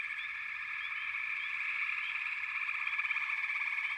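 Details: Backwater frog chorus: a thick, ringing mass of overlapping trills that grows slightly louder toward the end, dotted with quick rising notes.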